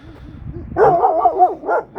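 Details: Nazo, a Kangal, reacting at night to an unfamiliar female dog in the neighbourhood: a rapid run of harsh overlapping barks and yelps after a soft lead-in, with a final bark starting at the end.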